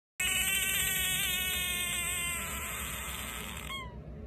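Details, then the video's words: Pacman frog screaming, a defensive sound against predators: one long, high-pitched, strained tone held with rich harmonics for about three and a half seconds, wavering slightly, then breaking off with a short falling note, over steady low background hum. "Pacman frog scream"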